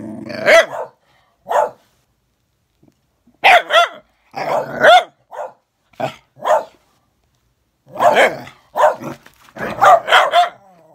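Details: Bedlington whippet facing a Patterdale, dogs giving short sharp barks in irregular bursts with brief gaps, some rough snarling yaps between.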